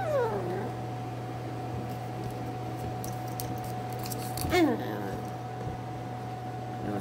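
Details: Miniature Schnauzer puppies indoors give short, high, descending whimpers, one right at the start and another a few seconds later, over a steady low electrical hum in a quiet room.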